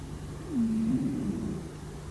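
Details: Low snore from a dozing domestic cat: a falling slide into a steady nasal hum lasting close to a second, fading unevenly, with a constant low background hum and nothing else.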